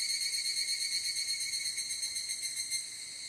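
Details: Evening cicada (higurashi) singing at evening in Japan, field-recorded on a ZOOM F8n Pro with Schoeps and DPA microphones; a steady, high, bell-like trill of fast pulses, held without a break throughout.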